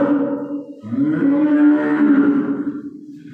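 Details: A calf crying the day before Eid al-Adha: a long, drawn-out, steady bawl after a short opening call, held for nearly three seconds with a rich, nasal tone.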